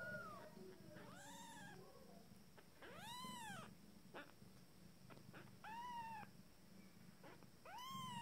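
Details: First-litter Abyssinian kittens at fourteen days, taking their first steps, crying with repeated thin arched mews every second or two, some overlapping, with faint clicks and a low hum behind.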